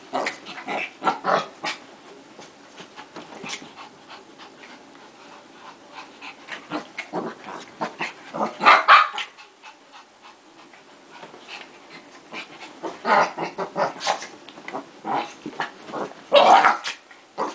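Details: Fighting pair of dogs: scattered snarling barks over a low rumbling background, with louder yelping bursts near the middle and the end.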